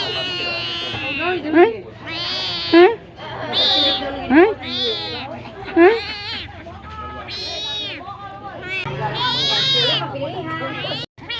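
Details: Cat asking to be fed, calling in a mix of high, drawn-out meows and brief rising squeaks. The meows come every second or so and grow into a longer wavering wail near the end.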